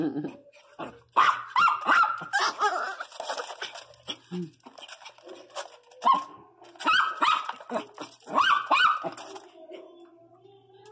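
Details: Pregnant female pinscher giving short, high, harmonic whines and yelps in uneven bursts, rising and falling in pitch, with quiet pauses between and a person's voice heard at times.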